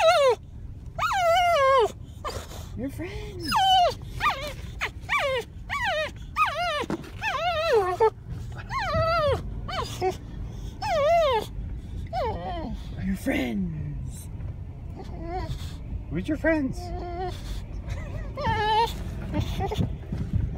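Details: Boxer dog Rylee whines repeatedly on first sighting an elk herd, with high, quavering, downward-sliding cries, some short yelps, and a low rumbling background, while people talk soothingly over the dog.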